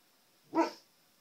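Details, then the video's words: A single short, sharp bark from a Siberian Husky confronting his own reflection in a TV indoors, over a faint steady high-pitched electronic whine. "Husky sees his reflection"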